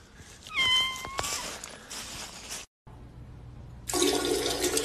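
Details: Domestic cat giving a short meow, a clear tonal call held fairly level and lifting slightly at the end, followed after a cut by a loud rushing, water-like noise.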